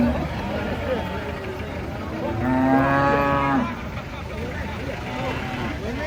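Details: A giant cow being taken off a truck lets out a single loud, level moo of just over a second, rich in harmonics, with softer lowing and crowd noise around it.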